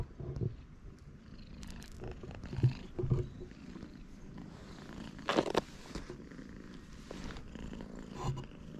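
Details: Friendly stray cat at a cat gathering on a cat island, recorded with a GoPro HERO8 Black: a soft, low rumbling purr runs through the clip. It is broken by brief louder bumps and rustling handling noise, with faint outdoor background.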